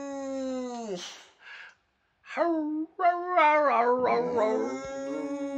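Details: Boxer dog howling and 'talking' with its owner at home: long, wavering, tonal howls, first sliding downward, then after a short pause rising into drawn-out, bending notes that waver and break.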